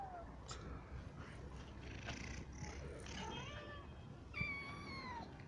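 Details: Cat at a cat shelter where adults roam outside and kittens and sick cats are kept apart; a woman talks softly, followed by one clear, slightly falling meow near the end.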